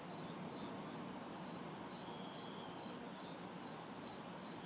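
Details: Crickets and cicadas calling in a backyard on a humid summer night in the city. Shrill pulsed chirps repeat roughly two and a half times per second while a thin, hissing buzz rises and drops, with light distant traffic beneath.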